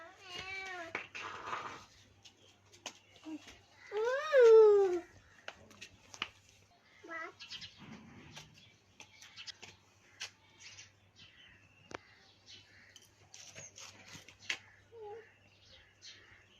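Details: Domestic cat meowing while being fed indoors, giving a few drawn-out, arching meows early on and a louder, longer falling meow near the middle, followed by soft clicks, rustles and faint voices.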